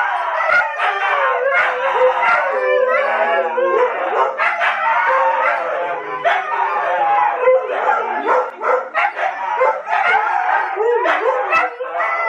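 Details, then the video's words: Several Siberian Huskies at home howl along with Tonka the Malamute on a TV screen: dense, overlapping, wavering yodel-like howls with quick pitch bends, sustained throughout without pause. "Huskies howling with Tonka the Malamute!"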